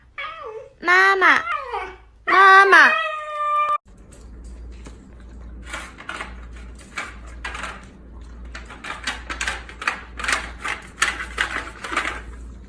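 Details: Pet Siberian Husky giving two loud harmonic howl-like yowls with wavering, rising and falling pitch, followed by softer clicking and shuffling noises indoors.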